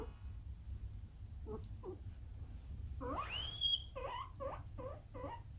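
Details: Kurumi, a pet male guinea pig born around April 2019, in its 'alarm version' puipui call: faint squeaks, then a loud rising whistled squeal followed by a quick run of repeated short wheeks, over low background hum.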